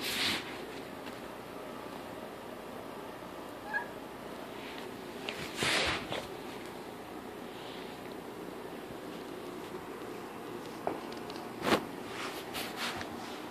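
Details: Indoors, a female kitten sits up, looks around the room, sniffs the floor and walks over to rub against a folding chair, giving a few faint meows among soft thumps and rustling sounds over a steady background hiss.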